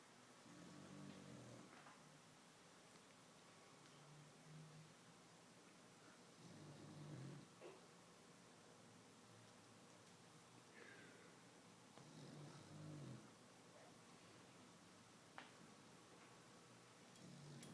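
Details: Sleeping cat snoring indoors, soft low rasping breaths repeating roughly every two to three seconds, quiet with faint background room noise.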